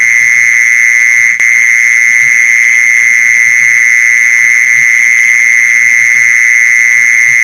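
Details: Luring sound of a mole cricket: a sustained, monotonous high trill at constant strength, with a single sharp click early and light low rustling underneath.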